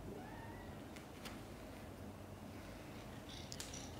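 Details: Mother cat named Chan indoors during a difficult labor delivering five kittens, some born backwards; a soft, steady low rumbling purr continues throughout, with a faint brief thin whine near the start and a few light clicks and rustles.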